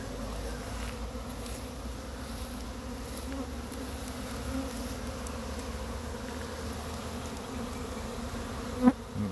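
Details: Many honey bees of a swarm being collected from a pine tree into a box; continuous droning hum of the mass of bees, fairly even in loudness, ending with a short sharp knock near the end.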